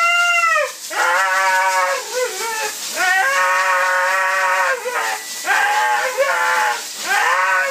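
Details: Siberian Husky at a bath, objecting to being blow dried: loud, drawn-out, wailing howls with rich harmonics. About five long cries bend and waver, separated by short breaths, over a constant hiss of the dryer.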